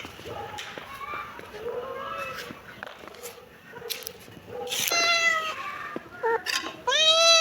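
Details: Kitten meows, several short and mid-pitched at first, then louder, brighter, harmonic-rich cries toward the end, over a noisy background with clicks.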